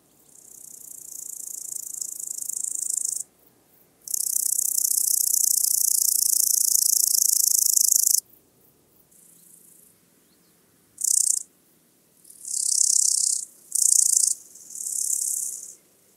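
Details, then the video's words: Orange-tipped grasshopper (Omocestus haemorrhoidalis) singing at Mörnsheim, Germany, on 12 August 2021: dry, hissing high-pitched buzzes, one long four-second phrase then several shorter bursts of varying length separated by brief pauses, no other sounds. "Omocestus haemorrhoidalis -- Rotleibiger Grashüpfer -- Orange-tipped Grasshopper"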